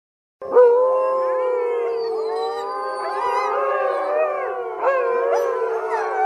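Several wolves howl together, long steady tones overlapping at different pitches.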